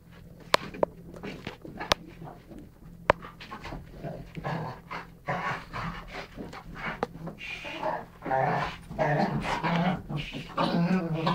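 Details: Two dogs, a Rhodesian ridgeback and a chocolate labrador, wrestling in play indoors in November 2011; low grumbling growls and huffing pants build up toward the end, with a few sharp taps and knocks early on.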